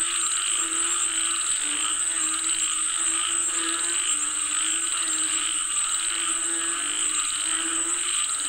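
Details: Frogs calling for rain: a dense, unbroken chorus of low, throaty croaks that overlap in rapid pulses, with a steady shrill hiss running high above throughout.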